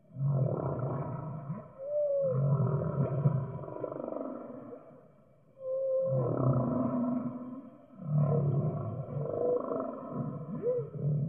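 A whale sings in long, low groaning phrases broken by brief rising, whistle-like swoops.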